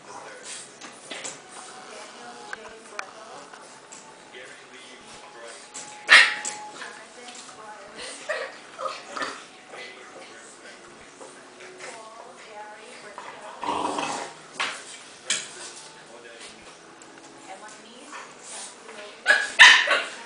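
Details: Bulldog puppy named Gus giving short whimpers and yips scattered through the recording, a few sharper high cries standing out, with human speech in the background.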